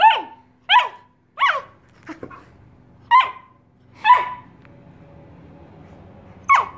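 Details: A giant Alaskan Malamute puppy, playing hide and seek and teasing his Husky sister from under his favourite spot, gives irregular bursts of sharp, yelping barks about a second apart, each sliding quickly downward in pitch.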